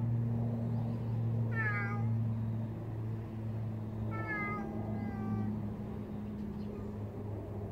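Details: Big stray cat outdoors giving two drawn-out, slightly falling meows about three seconds apart over a steady low mechanical hum.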